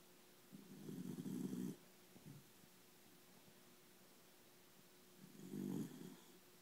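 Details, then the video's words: Schnauzer asleep and snoring: two low, rough snores about four seconds apart, with quiet breathing in between and no other sounds. "Snoring schnauzer"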